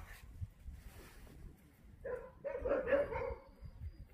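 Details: Jindo dogs met on Jindo, Korea: a short run of tonal whines and yelps in the second half, preceded by quiet rustling, with a person's voice nearby.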